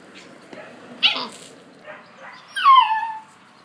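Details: Collie puppies aged 50 and 63 days, recorded on 20 July 2013; a brief broadband yelp near one second, then a loud high whine sliding steeply downward, with faint soft murmurs between.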